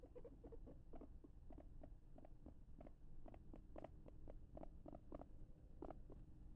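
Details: A usually calm male capybara, alone in an enclosure with a pool, sniffs about and gives soft, rapid clicking chuts, short pulses repeated several times a second over a low rumble.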